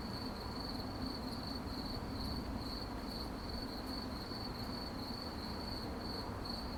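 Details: Night-time crickets give a bright, evenly repeated chirp roughly three times a second, with a deep, steady hum beneath and faint clicks higher up.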